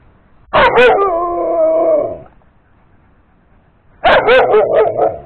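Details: Dog demanding that a big yellow ball be thrown, 2 April 2018; a couple of quick barks drawn into a long whining howl, then a pause and another rapid series of yappy barks.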